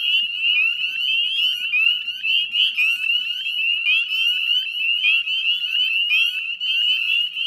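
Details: Dense chorus of northern spring peepers at dusk on 18 May 2020 beside the Chezzetcook salt marsh wetlands in Nova Scotia; many shrill upslurred peeps overlap without pause, forming a steady piercing wash.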